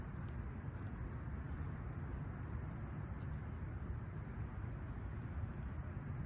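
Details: Toronto summer sunrise at Humber Bay Shores, 28 July 2020, clear and calm at 20ºC, with crickets chirping: an even, high, ringing trill that never pauses, set against heavy low background rumble.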